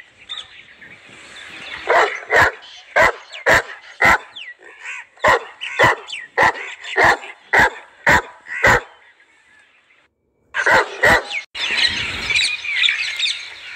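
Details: Young Saint Bernard, seven months old and vaccinated, in Manoharpur Shahpura, India, giving a series of about thirteen short, sharp barks at roughly two per second, then a brief pause, a few more barks and a burst of broad noise.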